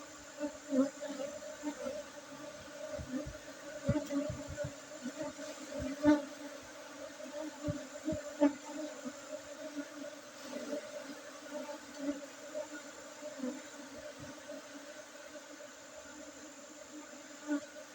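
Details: Continuous low hum of honey bees at a honey harvest among Gayo Arabica coffee gardens in Tingkem Bersatu village, Bener Meriah, Aceh, Indonesia, on 5 June 2023; frequent soft thuds and handling knocks punctuate the drone throughout.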